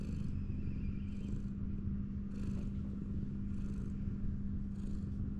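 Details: Ginger tabby cat leaning back on a wall, belly out, purring steadily as it is stroked; low continuous rumble with five brief airy swishes from the hand brushing its fur.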